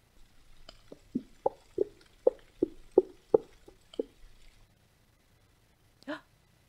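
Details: A gray whale gives a quick run of low, hollow boops, about three per second, a greeting call gray whales use to communicate with each other.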